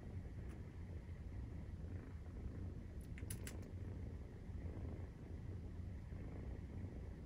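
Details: Maine Coon cats purring during nursing, kittens 43 days old, indoors; a steady low rumbling throb runs throughout, with a few faint clicks near the middle.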